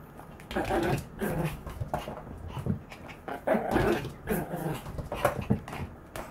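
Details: Maltese dog growling "gau gau" while running around indoors; short rough low growls in quick bursts, with faint human speech and thumps from movement.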